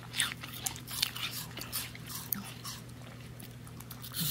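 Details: A female miniature Bull Terrier, a noisy eater, crunches an apple with sharp, wet bites in quick succession.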